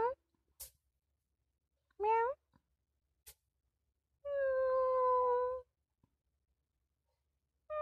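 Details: Kitten meowing indoors: a short rising meow, then a longer steady, slightly wavering meow, with a person's brief exclamations and soft clicks between calls.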